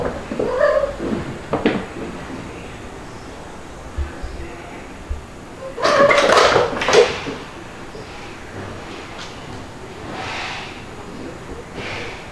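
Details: Domestic kittens Stuart, white with dalmatian spots, and black Lunar at play with mother cats Mel and Pepper, July 2022; a brief meow opens, followed by rustling, bumping handling noises midway and soft room sounds.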